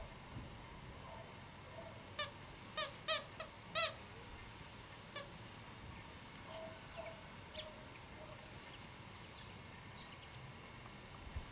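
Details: Spitz Pomeranian puppies: a quick cluster of short, high, harmonic squeaks between two and four seconds, then a few fainter, scattered squeaks over a quiet, steady background hiss.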